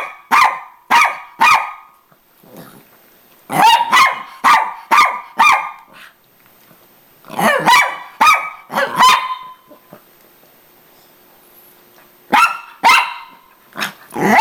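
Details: A female Miniature Pinscher, fighting for her owner's attention as the owner gets home, angrily barks at her sister in sharp, high, ringing yaps in quick bursts; the sister fights back at the end.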